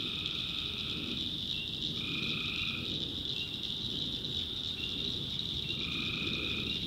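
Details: Tree frogs at night in North Carolina backwoods swamp: steady shrill chorus overhead, punctuated by short lower droning calls repeated roughly every second or two, over a faint low rumble.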